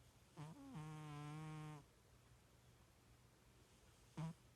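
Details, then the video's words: Pet cat sleeping indoors and snoring, likened to a little pig: a short snort, then a long harmonic-rich rumbling snore of about a second, silence, and another brief snort near the end; quiet small-room background. "My Snoring Cat!"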